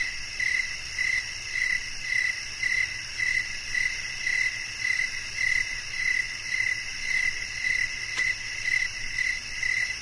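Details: Crickets singing at night: a clean, pulsing chirp repeated just under twice per second in a steady beat, backed by layered high whining insect tones and one faint click.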